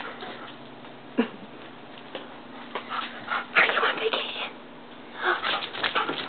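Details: German Shepherd Dog named Vixen on her first vacation at a summer home terrace in BC, Canada; short whiny yips and whimpers in uneven bursts, with human speech and background hum.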